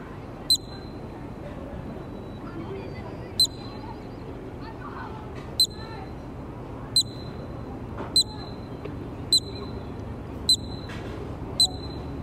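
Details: Columbian ground squirrel in a Banff park, Alberta, Canada, before an onlooking crowd, giving short high chirps at irregular intervals of one to three seconds, with faint low background noise.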